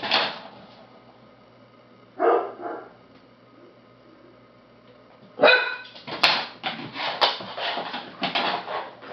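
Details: Nine-week-old labrador/spaniel mix rescue puppy from Lonely Hearts Animal Rescue in Maryland barking: an isolated sharp bark, another after two seconds, then after a pause a rapid run of short yappy barks.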